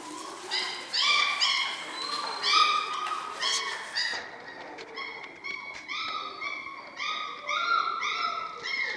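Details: A litter of seven German Shorthaired Pointer pups at six weeks old whine and yelp almost continuously, many short high harmonic notes overlapping in an uneven chorus, some rising, some flat, with brief gaps between bursts.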